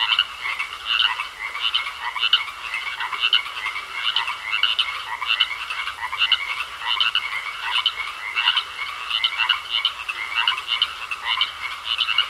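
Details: Pond frogs in full chorus, many voices layering grating, rhythmic croaks that pulse about twice per second at a bright pitch, while a faint continuous high tone hums beneath the calling.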